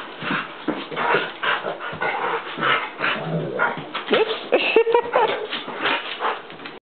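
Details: Hera, a newly adopted Mammutbull dog, playing wildly with another dog named Jager: a dense, unbroken stream of rough growly bursts and short yipping whimpers rising and falling, with a few sharper squeaky yips near the end.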